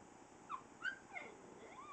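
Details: Chloe, a young puppy dog, vocalising for the first time with thin high whimpering yips that slide up and down, three short cries over two seconds.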